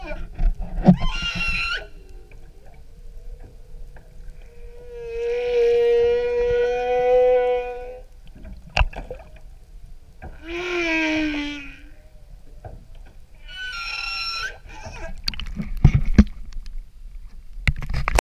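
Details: A humpback whale sings off Maui, Hawaii, heard from an outrigger canoe: long harmonic moans, upswept cries and bright squeals, with sharp knocks between phrases.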